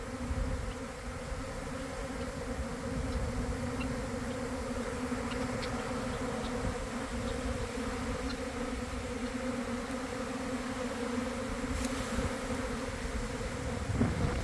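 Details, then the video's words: Honey bee swarm forming near a garden hive around one in the afternoon after a cold, damp week, bees landing to join the cluster; a dense, steady droning hum with strong low tones, continuous throughout, rumbling wind-like bursts underneath. "Catching a Swarm in Real Time!"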